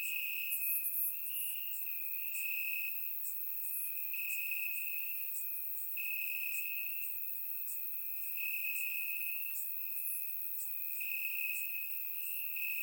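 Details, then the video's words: Bulgarian summer night, crickets in the grass, surround recording: a long steady high trill running throughout, slight rises in loudness every few seconds, layered higher chirping pulses from neighbouring callers, no birds or people. "Cricket Sounds - Crickets Chirping at Night"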